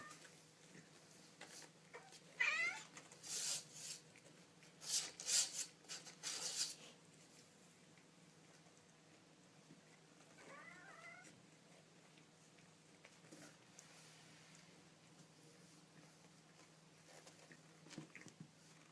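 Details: Kittens making little noises indoors: a couple of thin, wavering mews early on, then bursts of broadband scratchy rustling and a faint squeaky mew later, against a steady low hum.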